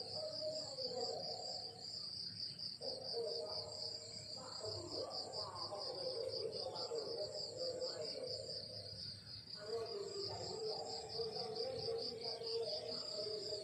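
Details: In the morning countryside, crickets produce a dense high-pitched pulsing chirr that never stops, accompanied by intermittent mid-range background sounds that come and go.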